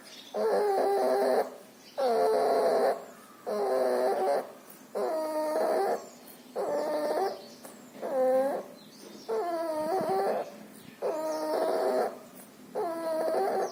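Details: Puppy infected with pneumonia and distemper, nasal discharge, making loud laboured breaths: a long regular series of wheezy, whining rasps, each near a second long with short gaps, about forty per minute.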